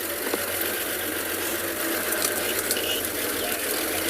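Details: A steady mechanical ratcheting rattle runs throughout, with no animal voice standing out. A low idling hum sits underneath, suggesting machinery or a vehicle nearby.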